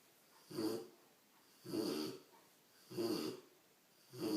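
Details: A big Rottweiler puppy snores in slow, rasping breaths about every second and a quarter.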